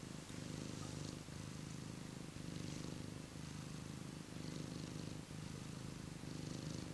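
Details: Cat warming itself by a heater, purring in a low, continuous rumble that swells and dips with each breath, roughly once a second.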